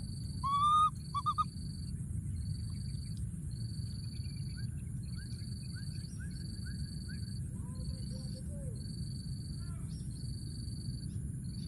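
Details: Baby monkey in the wild, hidden in a thorny tree and calling for his friend, gives two sharp, loud whistled cries at the start, then fainter wavering calls, with rhythmic insect buzzing throughout.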